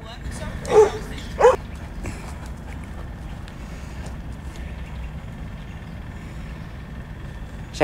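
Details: Huskies and Malamutes playing together during morning exercise; two short, sharp barks close together near the start, followed by quieter rustling, scuffling and background voices.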